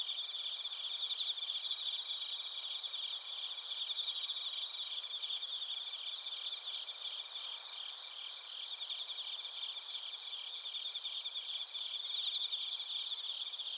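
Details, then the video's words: Bell crickets and crickets heard in Narita, Chiba Prefecture, Japan, with a TASCAM Portacapture X8. A many-voiced insect chorus of shrill, rapidly pulsed trills runs without pause, steady in loudness, forming a bright continuous ringing. "スズムシとコオロギの鳴き声 - Chirping of crickets"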